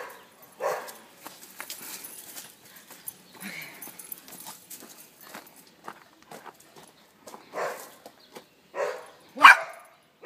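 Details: Boston terrier playing with a rope, giving short, sharp barks at irregular intervals: a few early on, then a tighter cluster of louder barks near the end, with faint scuffling between them.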